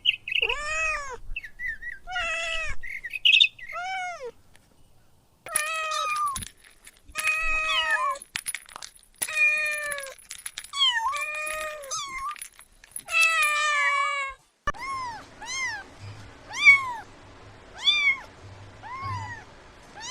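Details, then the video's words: Meowing kittens stalk and chase butterflies on the grass, giving many short arched mews in quick bursts, some overlapping, with a steady run of evenly spaced high mews toward the end. "Adorable Kittens Stalking and Chasing Butterflies on the Grass – Meowing Sounds"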